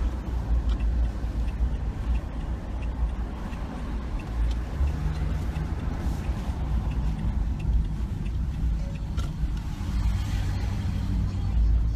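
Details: Steady low rumble of passing road vehicles fills the recording, with no animal voices.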